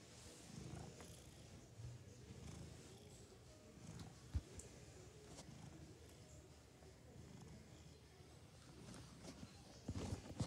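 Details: Sleeping cat snoring quietly: soft, low, rasping breaths come in gentle pulses roughly every one and a half to two seconds, with scattered small clicks and a few rustles near the end.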